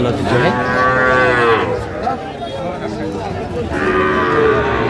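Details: Sahiwal bull at a busy cattle market in Tangail, 9 May 2025; two long, drawn-out harmonic moos, the second rising slightly, with crowd chatter and market bustle beneath.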